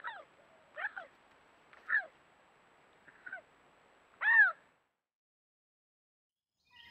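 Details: Bobcat howls, offered as a sound to repel raccoons and rodents: a handful of short, harmonic, yowling cries at irregular intervals, ending in a louder, arched, wavering wail, over an otherwise quiet background.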